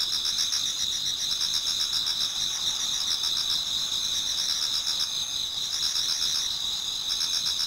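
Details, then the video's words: Chorus of autumn insects in a Japanese garden near dawn, a dense high-pitched ringing trill sustained throughout with rapid pulsing chirps woven in from multiple singers, even in loudness from start to finish. "Autumn Insects voice Towards dawn"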